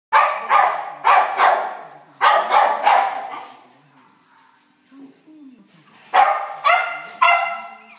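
Cairn terrier–schnauzer cross puppies give high, sharp yaps in quick pairs and triplets.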